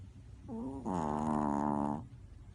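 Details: Dog asleep, giving one long, droning snore that lasts just over a second, led in by a brief softer rasp.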